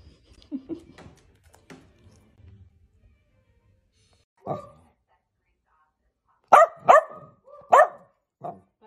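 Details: Miniature dachshund in playful mood: faint scuffles and soft noises first, then a single sharp bark, followed after a pause by a quick cluster of three loud barks and a last shorter yap, indoors.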